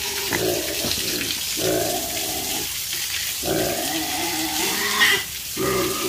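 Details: Pigs on a farm give short, harmonic grunting squeals in bursts about once or twice a second, with brief gaps between groups. A watery background hiss runs underneath.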